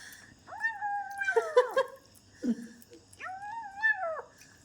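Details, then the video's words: Pet kitten at home while eating gives two arched meows about two and a half seconds apart, each rising then falling, with short chirpy squeaks between them and a low grumbling sound in the gap. "எங்கள் வீட்டு பூனைக்குட்டி எவ்ளோ அழகாக சாப்பிடுகிறது பாருங்கள்"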